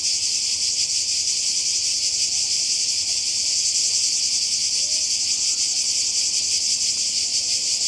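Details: Croatian seaside cicadas in summer 2020 make a continuous hissing, high-pitched drone that throbs slightly, filling the whole stretch without pause.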